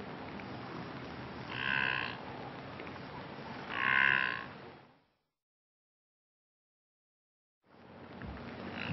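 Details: Brindled gnu, the blue wildebeest, in Kruger National Park: two short, nasal, honking moans about two seconds apart, then a gap of silence and renewed rustling background noise.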